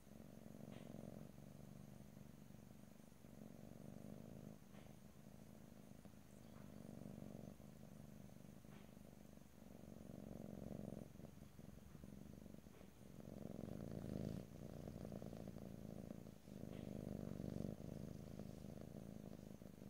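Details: A house cat purrs for twenty seconds, a dense vibrating hum rising and falling with each inhale and exhale, growing slightly louder toward the end, recorded close in stereo.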